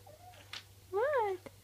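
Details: Lilly, a Persian kitten, indoors while playing with a bottle cap: one clear rising-then-falling meow of about half a second, with a faint soft voice before it and a steady low hum throughout.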